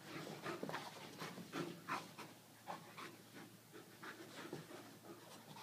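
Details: Irish Wolfhound named Brogan at play with a puppy called Millie, an Aussie-Doodle; soft, steady panting pulses roughly three per second, breathy and regular, low in level.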